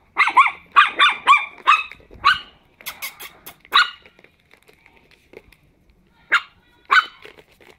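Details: High-pitched barking from ten-week-old Chihuahua puppies playing together indoors: a rapid volley of five yaps, a pause with scratchy noises, then spaced single barks.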